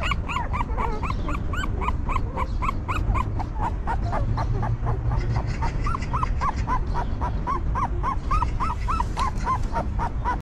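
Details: Newborn puppies of a stray mother dog whimper as she cleans, comforts and feeds them. Short, high, squeaky whimpers repeat rapidly, about three each second, in an almost unbroken series over a steady low rumbling background.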